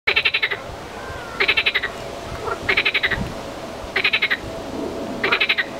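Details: Marsh frog (Pelophylax ridibundus) calling: short, rattling bursts of quick clicking pulses, repeated about every second and a half.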